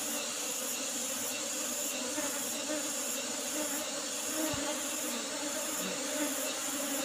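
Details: Asian honey bees (Apis cerana) in an old box hive with a used asbestos lid, heard during a honey harvest. A steady low hum holds throughout, with a faint regular ticking high above and a brief thump near the middle.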